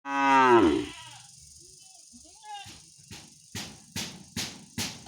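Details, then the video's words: Angry cow calling its owner: one loud, deep moo lasting about a second that slides downward, followed by several sharp knocking or clicking sounds at irregular intervals. "Angry Cow Sounds Moo Moo- Cow Funny Sounds- Animals Cow Call His Woner"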